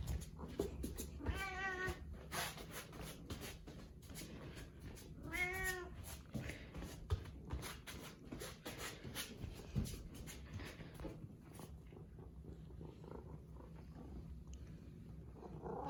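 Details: Pet cat named Karu following its owner everywhere indoors, meowing: two clear harmonic meows around 1.5 and 5.5 seconds, with rustling and footsteps in a small room.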